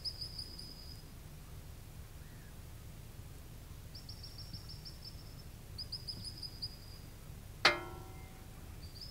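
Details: Series of sharp, high whistled notes from a little ground squirrel on the Beglitskaya Spit, repeating in short runs, with one loud click near the end and a low wind rumble underneath.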